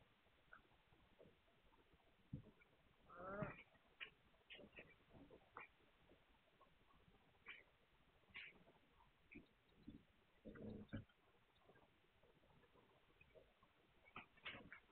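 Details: Hungarian Vizsla puppies recorded on 9 March 2021: scattered short squeaks and grunts, a louder squealing burst near the start and another toward the end, with quiet rustling between.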